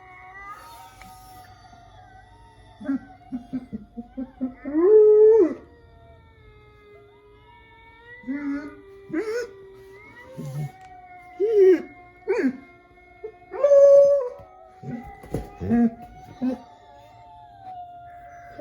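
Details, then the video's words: Jasper, a dog, gives short broken howls rising to sustained tones, interspersed with whimpers and yips; a steady background tone runs throughout, with pauses between bursts. "Jasper Howling"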